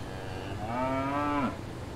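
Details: Cow on a farm giving a single soft, drawn-out moo lasting under a second that holds a steady pitch and then drops at the end, over a low steady hum.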